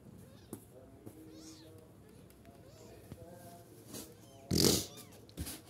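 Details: Kittens aged nine to fourteen days give soft, faint harmonic mews in short bursts indoors, with small knocks and one loud rustling thump near the end.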